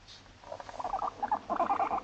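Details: Moru-chan, a female Abyssinian guinea pig born 29 November 2017, kept as a pet in an apartment home, chatting in everyday conversation: after a quiet start, bursts of wavering, warbling squeaks run in quick clusters.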